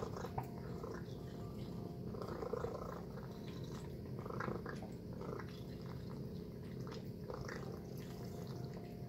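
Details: Low continuous purring from Tacy the house cat as she feasts on a chicken and beef meal, with irregular smacking and chewing ticks over the rumble.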